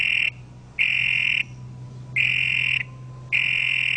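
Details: A toad repeats loud, rasping trilled croaks, each roughly half a second long and spaced about a second apart, with a low hum in the background.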